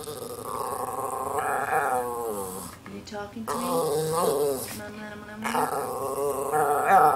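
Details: Norwich Terriers Twix and red Twizzler indoors demanding lunch: drawn-out, rising and falling growly 'talking' sounds with wavering pitch, interleaved with a woman's voice asking what they want.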